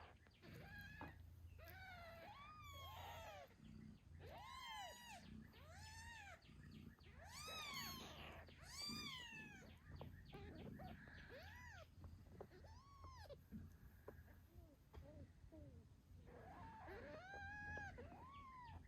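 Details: Newborn British Shorthair kittens, eight days old, squeaking and meowing beside their nursing mother, Moon Stone: a rapid series of short arched squeals, some overlapping, over a continuous low purr.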